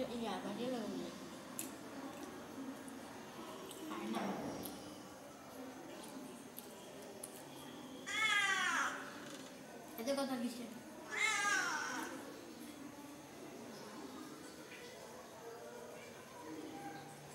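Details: Domestic cat among a household's pet cat family, frightened by a strange outside black cat; several harmonic meows at about eight, ten and eleven seconds, with human speech and indoor noise around them.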